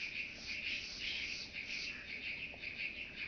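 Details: Chabrier's marbled bush-cricket singing at Arzo, Switzerland, on 4 August 2023, picked up with a Pettersson D 100 ultrasound detector after noise removal: a dense, high, buzzing chirr pulsing roughly twice a second.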